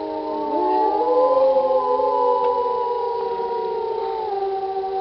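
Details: A wolf pack howling together in an old recording of animals since passed; several long, smooth, sustained tones overlap in close harmony, some gliding upward at first, then holding steady and fading slightly.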